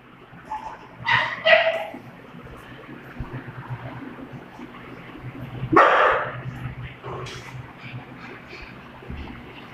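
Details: Doberman and pug playing together indoors: two short harmonic barks close together near the start, then one louder, longer bark a few seconds later, over a steady low background hum.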